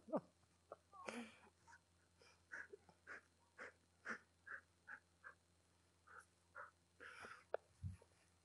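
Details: Golden Retriever named Aldo, having fun with his tiger girl, gives quiet wheezy, breathy grunts in short bursts roughly every half second to second, with a soft sneeze-like puff near the start and a low thump near the end.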